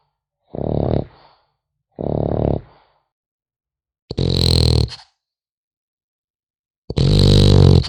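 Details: French Bulldog puppy sleeping indoors, snoring in rough, low rasping bursts about a second long, spaced by one to three seconds of silence; later breaths louder with a hissing edge.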